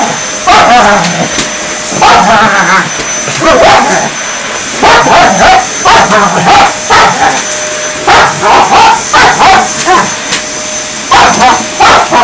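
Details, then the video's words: Dog interfering with vacuuming, barking repeatedly in irregular volleys of sharp yips and barks, about twenty a minute, over the constant hum of a running vacuum cleaner, with a person's voice now and then. "Dog interfering with vacuuming"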